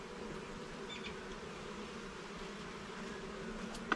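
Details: Many honey bees humming inside a garden hive while it is inspected, an even, unbroken low drone with one faint click at the end.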